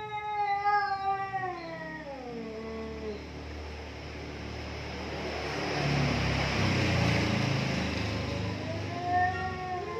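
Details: Two domestic cats in a heated standoff, trading long wavering caterwauls that slide up and down in pitch, one drawn-out howl fading before a noisy hissing stretch, then a rising yowl returns near the end.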